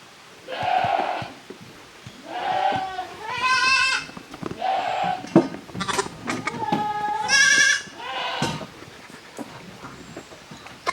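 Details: Goat kids, the offspring of Koharu and Okayu, playing in two teams in the exercise yard of a handmade goat farm on 13 June 2023. Several wavering, nasal bleats of varied pitch come in bursts, some overlapping, with rustling between them.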